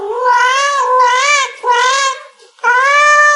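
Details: Pet domestic cat meowing after its owner asks how much it wants a meat treat: three long, wavering meows in quick succession, then a brief pause and a fourth meow.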